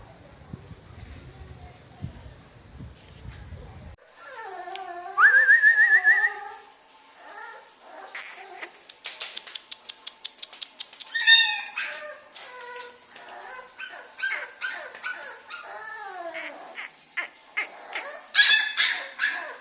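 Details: Puppies offered for sale by a dog dealer in India, filmed 28 November 2020, give high, harmonic whining yelps in quick irregular bursts, some rising and drawn out, others short and sharp, after a brief low rumble at the start.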